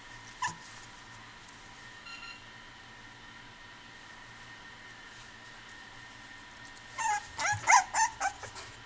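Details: Male Boston Terrier puppy at a pet shop in Kuwana, Japan, giving a quick run of high thin whimpers and yips near the end after one early squeak, over steady indoor hum.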